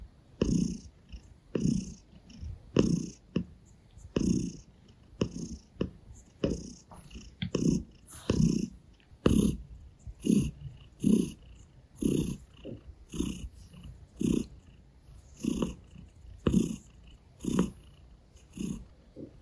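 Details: Gray Russian Blue cat kneading on a person's stomach and licking their hand, purring in a continuous low rumble that swells with each breath, near once a second, over quiet licking clicks.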